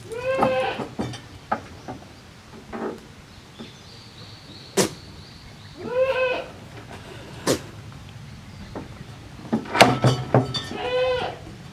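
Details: Goat kids, the offspring of Koharu and Okayu, play in two teams in the exercise yard of a handmade goat farm on 13 June 2023. Three clear, wavering bleats sound near the start, middle and end, with sharp knocks and clatter between them.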